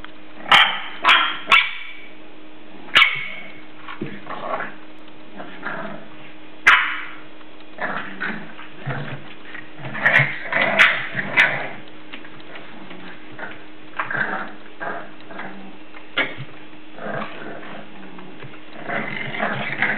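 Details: English Bulldog puppies, seven weeks old, playing indoors; short yips, barks and growly squeals come in bursts, several sharp clicks and knocks from paws or toys scattered through, with a low steady hum behind.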